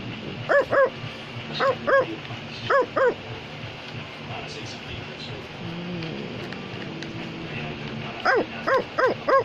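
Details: Male Australian Labradoodle barking in quick pairs of short, harmonic woofs, with a quiet pause and faint voices in the middle before another run of paired barks.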